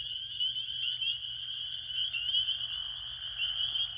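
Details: Many spring peepers calling at night in spring at Beaver Pond by a campground in Bear Brook State Park, New Hampshire; a dense, continuous chorus of high, shrill piping notes blending into a steady ringing wall of sound.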